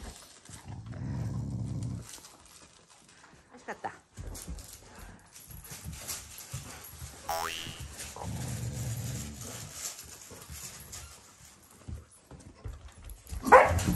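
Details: Shiba Inu, a family pet growling as a show of affection rather than anger, competing with a Labrador for its owners' love; two low, rumbling growl bouts, mixed with human speech and household noises.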